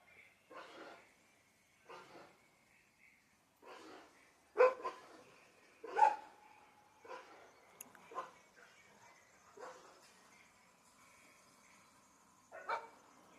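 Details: Boerboel dog at a Spanish winter sunset, off-grid countryside; single short barks come in uneven bursts, roughly forty a minute with irregular gaps, over a faint steady high whistling tone in the background.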